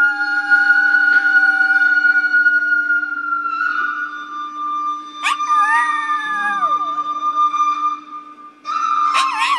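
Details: Pet dog singing along to a Chinese flute: sustained steady flute tones with a low constant hum, then the dog joins with wavering, bending howls that rise and slide down before the flute resumes.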